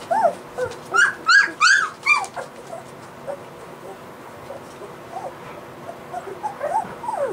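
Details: A litter of white Golden Retriever puppies, three weeks old, squealing in a quick run of high rising-falling whines, then softer scattered whimpers over a faint background murmur.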